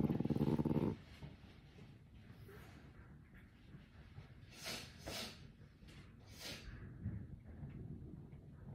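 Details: A grumpy, cranky, tired merle French Bulldog puppy gives a brief low, rumbling growl, annoyed by sounds around it.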